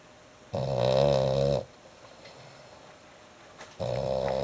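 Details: A dog snores very loudly: one long, rough, buzzing snore lasting about a second, a quiet pause of two seconds, then the next snore begins, all in a quiet indoor room.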